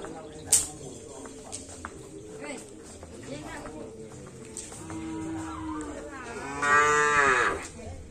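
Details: Racing cattle brought over from Sapudi Island, being readied for a karapan sapi bull race, with a loud rising and falling moo near the end amid crowd noise and voices.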